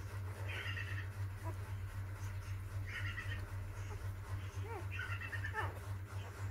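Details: Newborn puppies, four days old, a litter of six, giving short bursts of high squeals and thin whines, several calls clustered in three groups, with a steady low hum running underneath.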